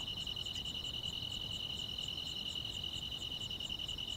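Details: Countryside grass insects calling on a summer night, a clear unbroken high-pitched trill with regular rapid pulses and light higher ticking, little low noise beneath.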